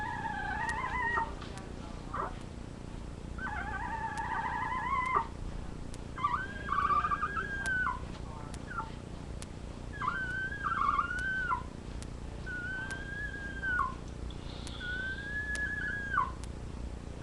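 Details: Labrador retriever puppies filmed on a live puppy cam whining in a steady series: short nasal whimpers, each held briefly and bending down at the end, repeated roughly every one to two seconds over faint background hum.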